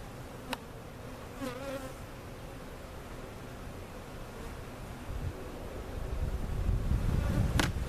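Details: A soft, low bee hum from cutout honey bees being settled into their permanent hive at Jerome Bee Farm, Central Oklahoma. The buzz swells louder toward the end, with a couple of sharp clicks and a short voice early on.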